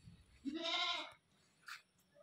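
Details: Newly brought-home goat calling over and over: a single quivering, nasal bleat of under a second, then a short faint sound against a quiet hiss.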